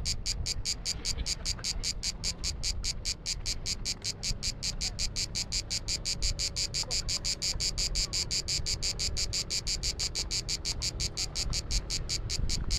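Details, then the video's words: Cicada on the Croatian island of Biševo in summer heat, producing a long unbroken series of sharp buzzy clicks, several per second, steady throughout, over faint low-pitched background rumble. "Clicking cicada"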